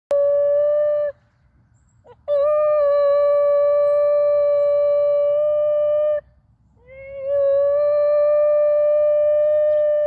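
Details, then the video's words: Sanji, a male Basenji aged 9.5 months, howling just after leaving a park where many young female dogs had enthralled him: three long, steady, pure-toned howls, a short first one, then two of about four seconds, the last sliding up at its start. "Sanji the Basenji Howling"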